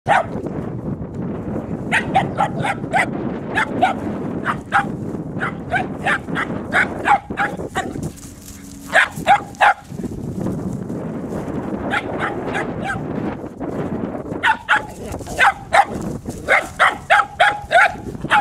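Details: Dixie, a three-month-old puppy on her first day as a sheep dog, gives rapid high yapping barks in irregular bursts, pausing briefly near the middle, over a steady low rumble of wind or handling noise.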